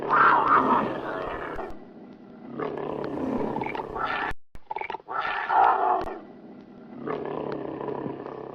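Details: Fighting, angry tiger roaring in harsh, raspy bursts, four loud roars spread over several seconds with quieter rumbling growls between them.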